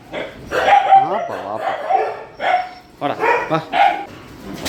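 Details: Shelter dogs during night feeding: short, tonal barks and yips come in quick clusters with rising and falling whine-like notes, and a person's voice talks and calls over them throughout.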